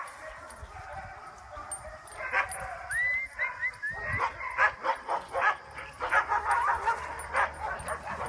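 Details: Dogs on a fun outing, a walk in the woods together to learn to get along with other dogs; thin rising whines give way to a quick irregular series of short yelping barks, with a person talking faintly.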